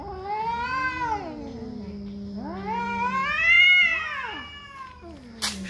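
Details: Territorial cat fight, heard as a long yowling wail that arches up and down. A low sustained growl-moan follows, then a second high, bending howl climbs and falls. A brief sharp noise comes at the close.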